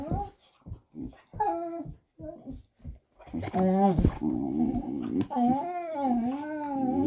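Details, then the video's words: Vizsla dog "talking": a run of short clipped yips and whines, then drawn-out wavering moans that rise and fall like a grumbling howl, continuing to the end. "Talking Vizsla"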